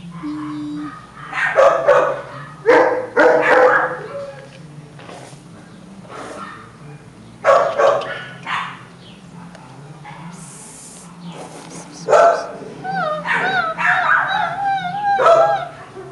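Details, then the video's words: Chihuahua puppy bred at the Hotelcan kennel giving short yips and high whiny squeals between bursts of human speech and calls, ending with a run of wavering high whines. "CACHORRO CHIHUAHUA"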